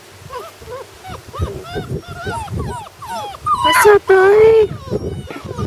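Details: Whimpering puppies on their first day outside: a run of repeated high, arching whines about one to two per second, building to louder drawn-out cries, with a person's voice mixed in.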